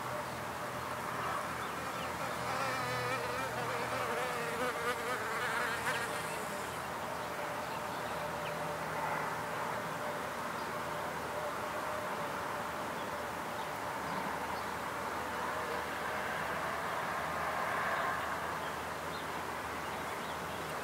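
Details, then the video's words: Field recording of wild bees with simple equipment: buzzing drones wavering in pitch, strongest in the first seven seconds, then a softer steady hum with occasional passes and low background rumble. "WILDBEES (1) / FIELD RECORDING / ONLY NATURE SOUNDS"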